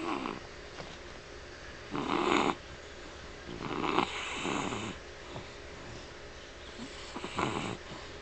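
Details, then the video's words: Dixie, a pet dog, snoring in her sleep, apparently dreaming with rapid eye movement; harsh, breathy snore bursts come every two to three seconds, with quiet, soft breathing between them indoors. "dixie snoring"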